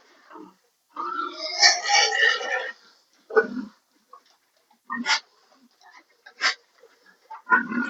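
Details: Sow that fails to come into heat gives a long, harsh, rising squeal lasting almost two seconds. Several short, rough grunts follow at irregular intervals, with faint murmurs in between.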